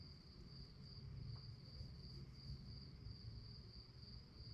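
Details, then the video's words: Crickets chirping at night: a steady, high, rapidly pulsing trill that runs without a break for the whole stretch, over a constant low rumble of background noise. "Night time nature sounds to help you fall asleep - relaxing sounds of crickets"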